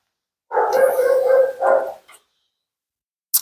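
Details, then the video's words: Vocal female Siberian Husky named Mila complaining while being bathed at a grooming salon: a long, harmonically rich, wavering moan, a brief break, then a shorter matching moan and a small yip-like tail, with a sharp knock at the end. "Talking Husky FURNADO Bath and Blowout"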